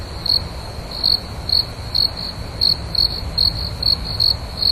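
A cricket gives short, high, pure chirps, repeated roughly twice a second over a faint low hum.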